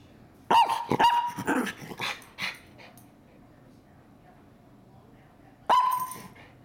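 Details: Miniature Schnauzer kept as a pet, 'talking' to its owner indoors: a burst of three or four sharp yappy barks with grumbling tails, then a few softer huffs, silence, and another loud bark near the end.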